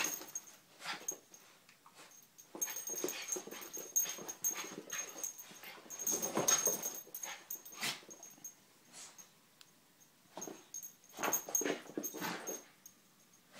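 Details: Three terriers named Poppy, Jazz and Max produce rapid, uneven snorting and whimpering bursts, several a second, bunched into noisy clusters with quiet gaps between. A faint high-pitched background tone persists.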